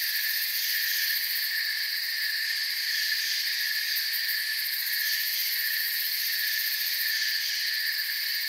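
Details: Continuous chirping of crickets in a forest, a bright, even high-pitched trilling wall of sound with gentle rhythmic flutter in the top layer.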